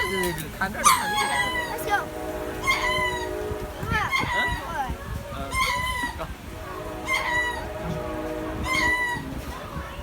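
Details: Lemurs at Jacksonville zoo making funny noises: harsh, nasal squawking calls repeated roughly every one to two seconds, with people's voices in the background.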